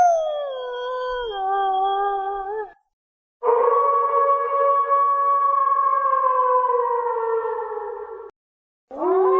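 A Eurasian wolf gives long, smooth howls that hold steady and then slowly slide downward in pitch.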